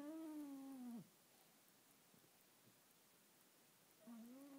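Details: A sleeping Schipperke gives a drawn-out, tonal moan that sags in pitch, then starts again after a pause; its owner is unsure whether he is snoring or dreaming.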